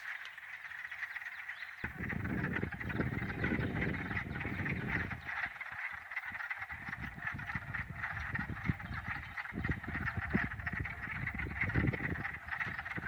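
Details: Early-spring chorus of wood frogs, small frogs with black masks that call sometimes while ice remains on the pond: continuous overlapping quacking clucks, partly masked by loud low rumbling bursts of wind or handling noise.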